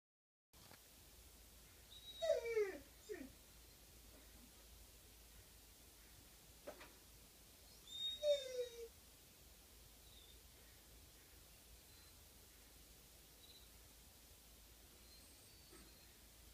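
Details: Coyote recorded on April 25, 2015: two faint, distant bursts of wavering yips that slide downward, about six seconds apart, with a soft click between them over steady low background hiss.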